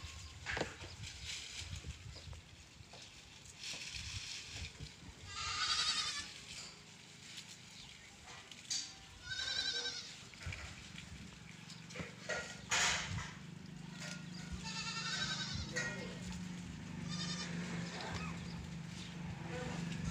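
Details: A run of repeated goat bleats, some drawn-out and shaky, others clipped, from more than one animal, while a steady mechanical hum sets in during the second half.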